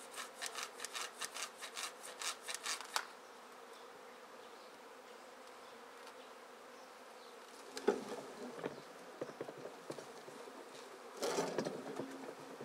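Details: Swarm of honey bees being shaken out of a tree into a basket, the queen possibly among them: rhythmic rustling for about three seconds, then a steady low buzzing drone, with sharp knocks near eight and eleven seconds.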